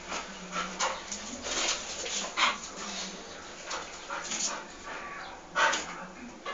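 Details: Twelve-month-old Bull Terrier called Terri at play in León, Guanajuato; a few sharp, widely spaced barks and yips over rustling and handling noise.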